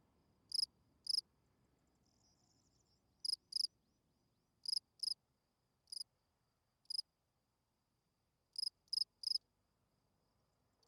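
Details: Field cricket chirping at night, short high-pitched chirps scattered irregularly, often in quick pairs, with long silent gaps between bursts over a quiet background.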